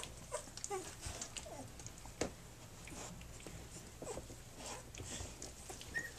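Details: Flute's three-week-old puppies nursing and playing indoors: faint high whimpers and short squeaks scattered over soft suckling, shuffling and clicking noises, with a steady low hum underneath.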